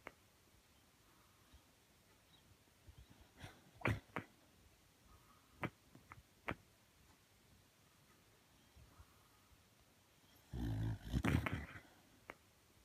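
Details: Sakura, a Shiba Inu, sleep talks with eyes half open and white: scattered soft clicks and short squeaky yips, followed by a louder, breathy grumbling burst lasting about a second.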